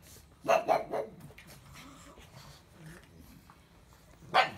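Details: Pug letting out a quick double bark, then a stretch of soft grumbling and muttering, and finally one more sharp bark at the end.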